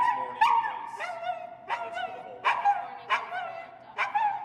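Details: Reactive dog barking from over-stimulation, a behaviour its owner says is usually not this bad on walks but sometimes is: about six sharp, whiny yelping barks with a tonal edge, roughly one every 0.7 seconds, indoors and otherwise quiet.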